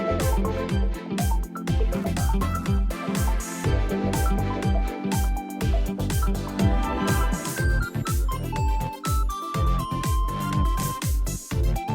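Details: Upbeat instrumental music with a steady beat and bright melodic lines; no animal sounds are heard.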